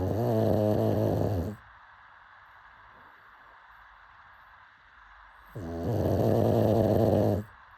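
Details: Pug asleep and snoring: two long, low, buzzing snores of about a second and a half each, separated by a quiet pause of roughly four seconds.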